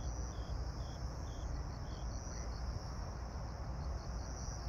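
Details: Grass insects trill in a steady, high-pitched shimmer at 18:46 on 26 September 2022 under a pink evening sky, while an airplane takes off with a deep, constant rumble.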